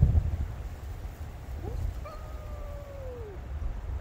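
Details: A black cat addresses a white cat in a forceful voice, filmed December 2022. A brief rising chirp is followed by one long, steady meow that slowly drops in pitch at its end, over low wind rumble.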